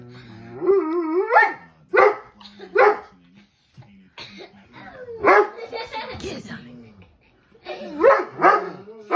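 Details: Dobermann barking at dogs on TV: a rising, drawn-out whine swells into a loud bark, followed by further scattered gruff barks, over a bed of TV speech and noise.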